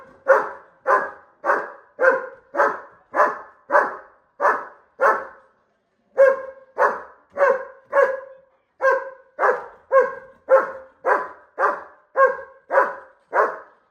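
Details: Aggressive barking from a German Shepherd dog keen to fight a bull: steady, forceful, harsh barks about twice a second, broken by one short pause midway.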